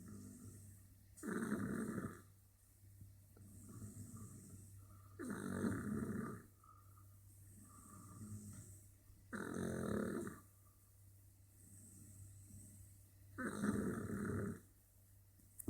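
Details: A napping French Bulldog snores in slow, regular cycles, loud rasping inhalations roughly every four seconds with soft whistling breaths in the gaps, over a low constant background hum.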